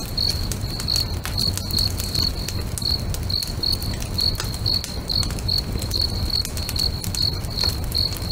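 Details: By a lake at sunset, crickets keep up a bright, regular high chirp, about two to three beats per second, mixed with the crisp snapping of a crackling bonfire and a dull low roar.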